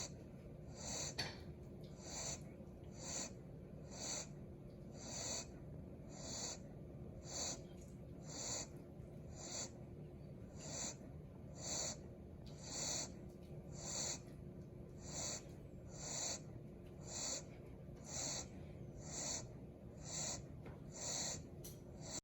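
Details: Exhausted puppy asleep after hours of play and outdoor walks, breathing in airy, wheezy snuffles that repeat roughly every second, evenly spaced across the recording, over a faint low hum.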